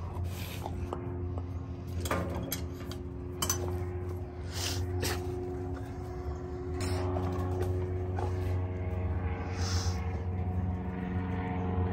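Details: Kitchen clatter of dishes and cutlery, with soft background music and a steady low hum indoors, and no animal voice.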